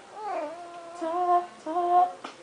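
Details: Snuggles, a pet cat described as talking and getting mad after a bath, indoors: three drawn-out, wavering meows in a row, the last two long and steady and ending in short breaks, loud over a quiet room.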